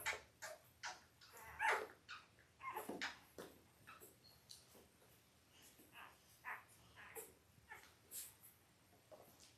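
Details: Five-day-old Labrador Retriever puppies of a Christmas-themed litter of eight, born October 15, 2023, to their mother Belle, indoors: short high squeaks and whimpers scattered through the clip, with soft rustling and shuffling in a small room.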